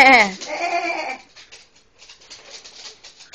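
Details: A female pet dog acting oddly makes a single loud, sheep-like bleating call lasting about a second. It starts higher and levels off, then gives way to faint room noise.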